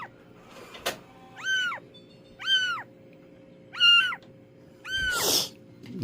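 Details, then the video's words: Stray cat in a rescue, four evenly spaced high meows roughly a second apart, each a rising-then-falling arch, over a steady low indoor hum, with a sharp knock early and a rustle at the end. "길냥이 구조?"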